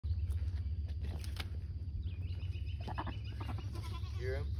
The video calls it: Goat mating call